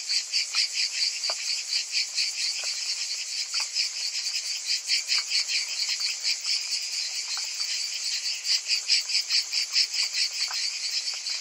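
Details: A group of cicadas in summer making a continuous sizzling high buzz that swells and fades in rapid beats, roughly two per second, over faint scattered clicks.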